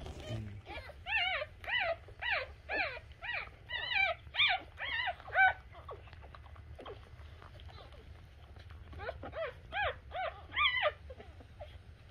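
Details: A newborn Shih Tzu puppy just after birth gives a run of thin, rising-falling squeaky whimpers, about two per second, pausing midway before resuming, with a quiet low hum indoors.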